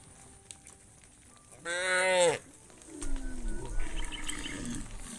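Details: Tame cattle from a herd of hundreds returning to the farm pen in the evening: one loud harmonic moo of under a second, then a lower, quieter lowing call with trampling and background noise.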